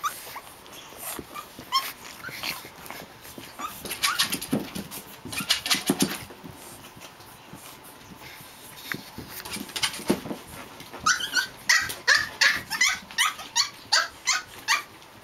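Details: Playing Japanese Chin puppies, among them Hestia, Fizzz, Asti and a baby girl, give scattered squeaks and whines, then a fast run of sharp high yips near the end, over constant scuffling of small paws.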